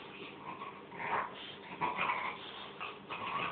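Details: French bulldog rolling around and making funny noises: a run of snorting, rasping grunts in uneven bursts, louder near the middle and end.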